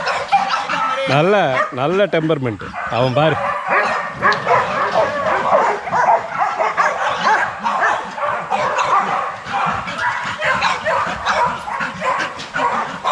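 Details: Young Rottweilers in a kennel exercise yard, a dense chorus of overlapping barks from several dogs, with a few rising and falling whiny yelps near the start, mixed with possible human voices.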